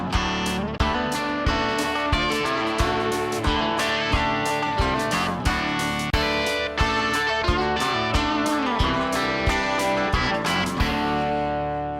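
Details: Strummed and plucked guitar music with a steady beat and sharp regular attacks, loud throughout; no animal sound heard.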